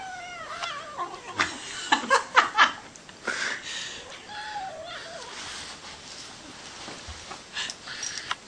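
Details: Greedy kitten giving several drawn-out, falling meows at the start and again midway, between clicks and rustling, with a person talking and laughing nearby.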